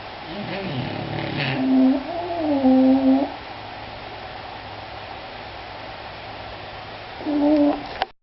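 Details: Two English Bulldogs snore in drawn-out, nasal, whistling tones that rise and fall with each breath.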